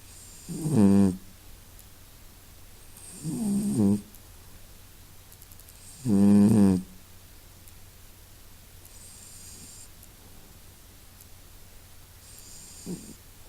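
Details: Cat named Masya snuffling and snoring; three loud, rasping snores about every two and a half seconds, each under a second long, then quieter breathing and a faint final snuffle.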